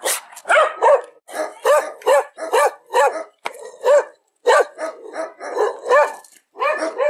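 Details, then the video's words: Repeated dog barks, quick pairs and runs of short arched yelps, mid-pitched and bright, with brief pauses; no other sounds stand out. "El sonido del perro.Ladridos de perros."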